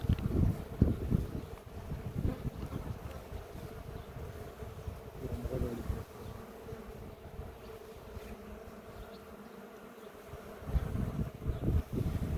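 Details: Low, continuous droning of honey bees at a hive being inspected for its queen after honey harvesting in a village near Ceyhan; a steady hum runs throughout, with rumbling handling and wind noise rising at the start and end.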